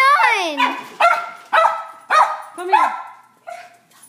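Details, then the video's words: Domestic dog barking as the carpet is being cleaned indoors; a falling whine-like yelp opens a run of five sharp, ringing barks about half a second apart, then quieter trailing sounds. "My crazy barking dog"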